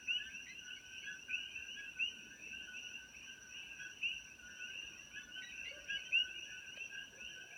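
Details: A dense chorus of coqui frogs at sunset on a farm in Kona, Hawaii, with sharp rising two-note chirps over a steady high ringing drone; the frogs are introduced from Puerto Rico and numerous.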